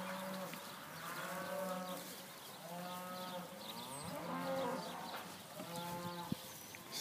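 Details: Gentle young open Hereford heifers at a sale dated 5/3/14, lowing repeatedly. About four long, steady, deep moos are spaced roughly every one and a half seconds. Sparrow-like chirps are scattered overhead.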